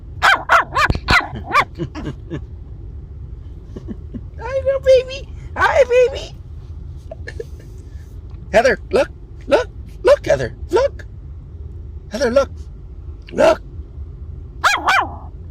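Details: Heather, a seven-week-old female Maltese puppy, gives short high yips in scattered bursts. A woman speaks to her affectionately between the yips, and music plays faintly.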